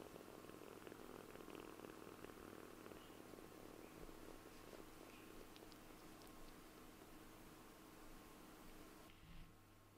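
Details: A kitten purrs while asleep on its owner's lap as it is stroked: a steady, rumbling purr runs unbroken for about nine seconds, with faint rustling, before it fades.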